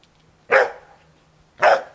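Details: Small black-and-white Bearded Collie puppies playing in a garden near nightfall with their mother Topas and Gipsy; two loud, short barks about a second apart over a faint low hum.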